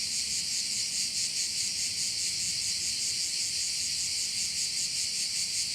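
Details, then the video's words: At a Korčula bay, many crickets produce one unbroken high buzzing wall of sound, rapidly pulsing about twice a second, steady in loudness, over soft low ambient noise. "view of one of the bays in Korcula with sounds of crickets"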